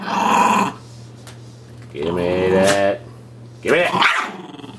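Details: A puppy named Sonny tugging at his dolphin pillow pet toy lets out short rough growls in separate bursts, mixed with a person repeatedly saying "give me that".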